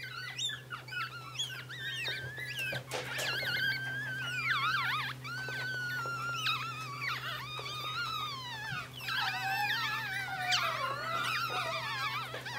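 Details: Three sibling Yorkshire terrier puppies whine together in high, wavering squeals that overlap without pause.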